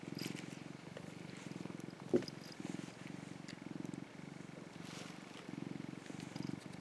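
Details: Sunbathing orange tabby cat Mac, a rescued younger brother cat, gives a continuous deep purr in even rhythmic pulses, interrupted once by a short sharp click.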